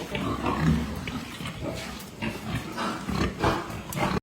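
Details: Farmed Pietrain pig grunting and snorting in short, coarse pulses, with some louder harsh bursts amid continuous pen noise.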